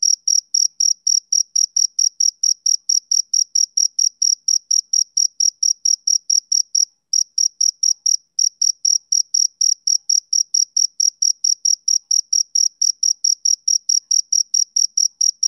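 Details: Male cricket, summer evening: a long, even series of sharp, high chirps at about four per second. One brief pause falls near the midpoint before the rhythm resumes. No other sounds.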